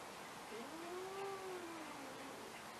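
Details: Chewy, an angry female domestic cat, gives a drawn-out tonal whine that rises, then falls, over about a second and a half, with soft hiss behind it.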